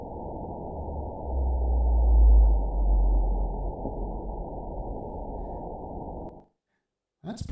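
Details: Recording of a baleen whale social call played in a conference hall: a low, droning moan rising to a loud peak after two seconds, then tapering. Brief silence follows, then a presenter begins speaking.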